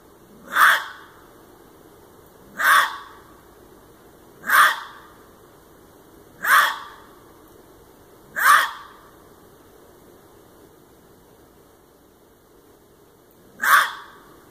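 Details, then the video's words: A red fox gives loud, short, harsh barks, one about every two seconds, then a pause before another; the call repeated persistently several times within an hour, exact type of cry uncertain. "Red Fox Sounds"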